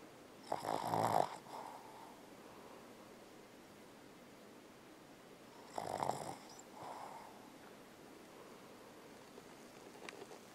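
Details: Bella, a Boston Terrier, snoring while asleep and dreaming indoors: two raspy snore bursts about five seconds apart, the first loud and rough, followed by soft exhaled breaths and quiet room tone.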